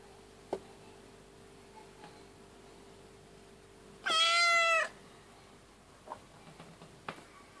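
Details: A female tabby cat giving birth to her second kitten gives a single drawn-out, slightly falling meow in an otherwise quiet room.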